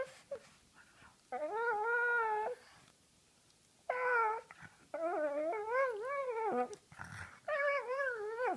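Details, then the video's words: Female pug making funny noises as her face is played with indoors; a series of wavering nasal whines and moans, each lasting about a second, with rippling pitch, separated by short pauses and soft handling sounds. "Tyler Durden the Pug (Ty) makes funny noises"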